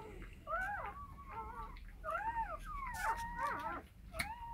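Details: Rottweiler mother with puppies; several overlapping wavering whines and squeaks, some bending up and down in pitch, over a low rumbling background with occasional clicks.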